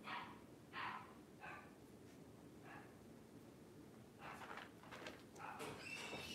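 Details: Puppies heard while the power is out: brief high squeaky whimpers and yips in separate bursts during the first three seconds, then a denser run of thin whining squeals near the end, over a steady low hum.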